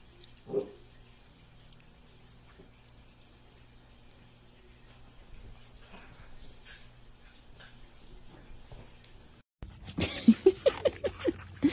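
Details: Dachshund, a pet sausage dog, indoors in a small room: one short loud yelp, a long near-silent stretch with faint shuffling, then after a cut a quick run of about seven sharp, high yips close together.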